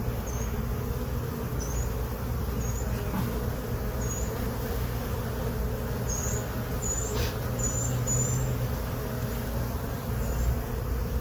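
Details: Honey bees that settled into a hive box on April 29, 2022, buzzing during an inspection: a continuous low droning hum, even in loudness, overlaid by scattered brief high-pitched chirps.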